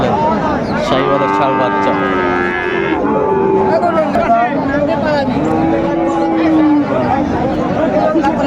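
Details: Sahiwal bull at a cattle market (hat) in Bogura, Bangladesh, on 23 December 2024. It gives drawn-out, harmonic lowing moos, each held over a second, amid steady market chatter and bargaining voices.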